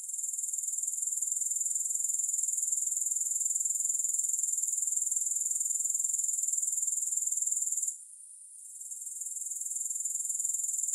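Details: Grasshoppers keep up a bright, high, buzzing trill of quick even pulses that briefly sinks in volume late on before recovering; no music or voices.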